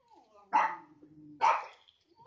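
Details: Dogs (a Labrador, a Rottweiler, a Beagle and a Lhasa Apso) meeting over a neighbourhood fence. Soft murmuring voice-like tones, then two loud, harsh barks about a second apart and a third bark cut off at the end.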